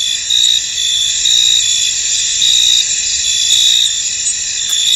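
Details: A continuous bright insect trill from crickets in a misty field, swelling into stronger chirp pulses every second or so over an otherwise quiet background.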